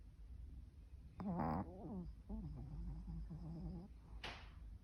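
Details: Eerie snoring of a dog, described as like a haunted house: a short loud groan, then a low, warbling moan that wavers and fades, ending with a brief breathy hiss.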